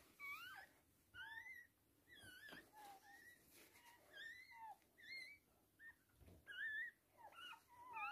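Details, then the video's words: High, thin squealing whines rising and falling in short bursts, several per second, with clear overtones, during a Toy Poodle's birth of three girl puppies; quiet indoor background. "Toy Poodle giving birth 3 puppies"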